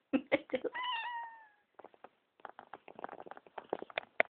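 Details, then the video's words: Pet cat meowing in her sleep when her owner coughs indoors; after a cough, a short falling meow followed by soft rustling and quiet clicks. "Cat meows when I cough"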